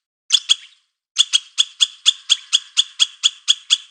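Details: Squirrel calling: two harsh, buzzy clucks, a brief pause, then a steady run of rough, broadband chuck notes repeated about four times a second, with no other sounds around them.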